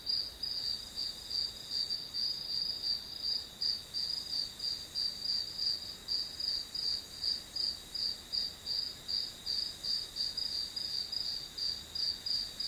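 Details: Chorus of grass insects used as calming study ambience: a bright, high-pitched pulsed trill repeated nearly three times a second, rising and falling slightly in loudness, with a second softer insect ticking along in the background.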